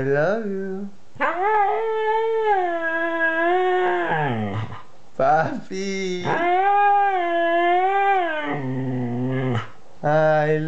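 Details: A 2-year-old Siberian Husky gives long, wavering, vocal howls with sliding pitch, broken by short yips and grumbles.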